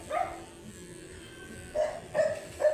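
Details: Angry at being groomed, a matted Shih Tzu lets out four short, tonal yelping barks: one early, then three closer together near the end, with soft steady background noise.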